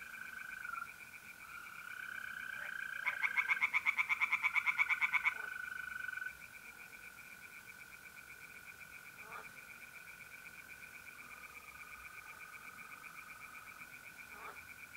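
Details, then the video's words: Tree frogs at a pond on an April night in north-east Italy give one short loud run of rapid pulsed croaks lasting about two seconds, then fall quiet while the continuous trill of mole crickets carries on. "relaxing singing tree frogs in pond"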